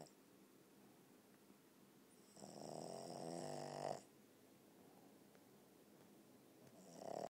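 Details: Sleeping Boston terrier giving a rasping, buzzing snore lasting over a second, followed by a pause with faint background hiss before the next snore begins at the end.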